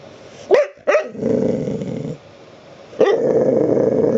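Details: Abby, a pet dog wanting to be petted, lets out two sharp yelping barks followed by a sustained low growl, then another bark rolling into a long rumbling growl, indoors.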